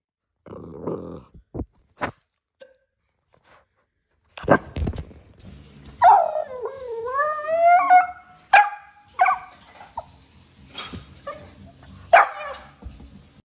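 A Boston Terrier gives sharp barks, then drawn-out whining yelps that rise and fall.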